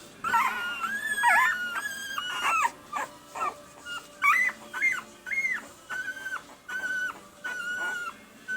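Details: Pembroke Welsh Corgi puppies, red and sable boys just over one week old, give high tonal whines with bent, wavering pitch, about one every half second, some rising then dropping, with faint music underneath.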